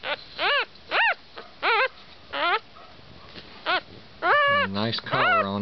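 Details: Havanese puppies near Knoxville in East Tennessee whimper in short, arching, high whines. About six separate cries rise and fall, then a jumble of overlapping whines merges with a human voice.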